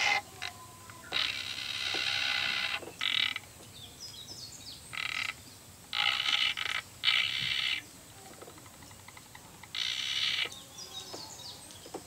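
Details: Sado frog, a new species from Sado Island, gives about ten rasping, ratchet-like bursts of uneven length over twelve seconds. Faint bird notes sound between the bursts.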